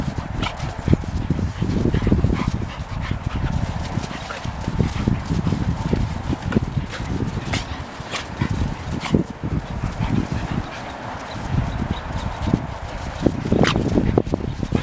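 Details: Two one-year-old dogs, Golden Retriever Selma Verona and Australian Shepherd Vili, playing together: a steady stream of low, rough growls and grunts with short, sharp bursts scattered throughout, plus scuffling noise.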